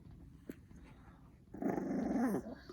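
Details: Chihuahua indoors at home growling over its dinner at another Chihuahua: a sustained rough, rumbling growl lasting about a second after a quiet start, with a faint click earlier.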